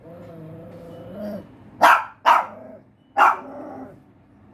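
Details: Pinscher dog growling low, then giving three sharp, loud barks, two close together and a third after a pause, before the growl resumes.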